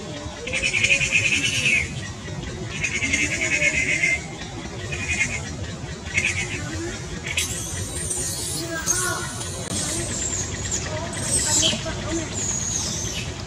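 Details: Distressed baby monkey crying loudly and appearing to need help: a run of short, harsh, high cries roughly once a second, then longer piercing shrieks sweeping up and down, with a noisy background throughout.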